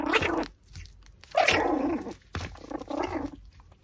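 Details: Pomeranian eating a raw pork backbone gives short harmonic whimpering growls, three bursts about a second apart with brief pauses, with faint chewing and gnawing noises between them.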